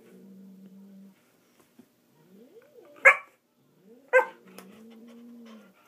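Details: Murphy, a dog, unsuccessfully inviting a cat to play: a steady low whine, then two sharp barks about a second apart, followed by another long, level whimper.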